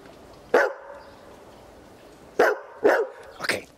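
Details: Berger Picard named Dino (Bombardino de la Vallee du Mouton), 14 months old, being trained to bark on command: a single short, sharp bark, a pause of nearly two seconds, then three more barks spaced about half a second apart.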